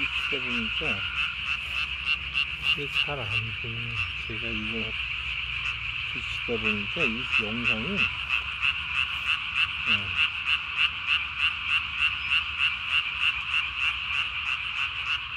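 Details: Japanese tree frogs calling at night, 3 May 2020, one with its throat sac blown up as big as its body; a steady rhythmic buzzing pulse train of about three notes a second, with lower wavering tonal sounds early on.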